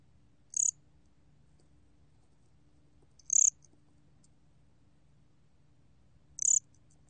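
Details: A 곰귀뚜라미 cricket, recorded in 2020, gives brief, high, ringing chirps spaced about three seconds apart against a faint low hum.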